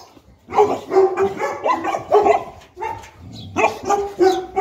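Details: Boerboel (South African Mastiff) couple, Enzo and Diva, living in Egypt, playing together; a run of short, harmonic barks and yips with gruff overtones, with several quick bursts closely spaced and brief pauses between them.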